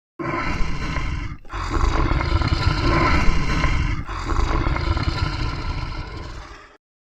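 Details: A white tiger in a zoo safari at Rajgir, India, described as angry, gives deep, rasping roars in two long, rumbling bursts.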